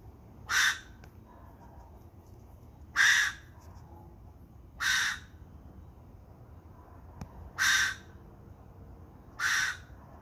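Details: A cacomistle (ringtail cat) calls at night in Santa Rosa on January 26, 2020, giving loud, harsh barking calls, one every two seconds or so, against a quiet night.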